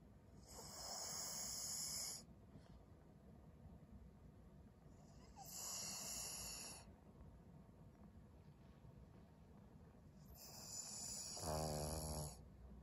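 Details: Maria, a 12-year-old fawn female senior Pug in Japan, February 18, 2023: three long hissing breaths roughly every four to five seconds, the last ending in a wavering whistled wheeze, over quiet low room hum.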